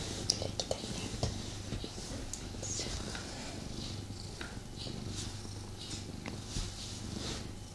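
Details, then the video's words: Male pet cat purring while snuggling with its owner indoors, restless rather than fully relaxed: a steady low rumbling purr throughout, with soft rustling and handling clicks over it. "ASMR Cat Snuggle Kuddle | Purring"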